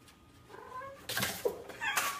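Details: A cat makes a drawn-out tonal meow with stacked harmonics that rises and wavers, then breaks into loud, harsh, noisy bursts near the end, in a compilation of cats talking very funny.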